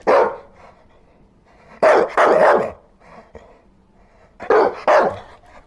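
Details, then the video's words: Dog barking in loud, harsh bursts: one bark, then a double bark after a pause, a faint softer sound, and another closely spaced pair. "Dog Barking Sounds"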